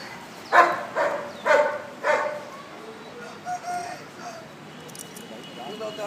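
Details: Four quick barks from a huge Bull Terrier open the clip at about one per second, then fade into softer, scattered sounds over a low background.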